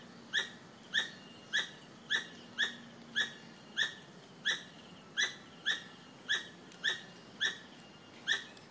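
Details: A squirrel gives sharp, squeaky chirps, repeated steadily almost twice a second; the owners suspect a mother calling for a missing baby.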